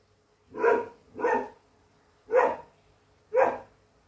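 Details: Female English Setter barking ferociously while standing her ground against a foe during a hunt; four loud, broad barks spaced roughly a second apart, with a faint steady hum underneath.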